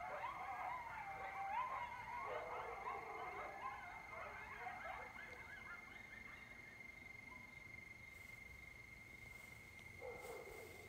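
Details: Wild coyote chorus at Lake Mendocino late at night in October, heard from a lakeside porch: tangled high yips and wavering howls from several animals for about five seconds, fading out, then a brief renewed burst near the end.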